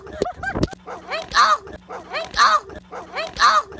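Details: Doberman Pinscher happy to meet its owner, giving excited, high, wavering whines and yelps that rise and fall, in bursts about once a second, with a few short sharp yips at the start.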